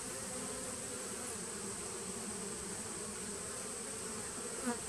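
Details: Continuous low droning of many honey bees in a small nucleus hive, recorded 19 September 2018, with a faint high whine running through and a small tap near the end.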